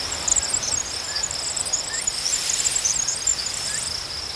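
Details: Chorus of crickets chirping, a dense high shimmering trill with many rapid overlapping pulses above a constant high drone, a few faint short rising notes in the background.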